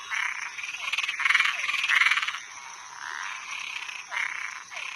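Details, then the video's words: Frogs and tree frogs at night giving loud rasping, crackling bursts, several in a row then a pause, with short downward chirps and a constant high hiss behind. "Som de animais noturno Sapo e perereca"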